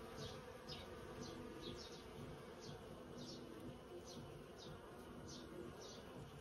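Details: Around a hundred busy bees working in a persimmon tree, a dense, steady droning hum of many wings layered together without pause, while faint high chirps recur about twice a second in the background.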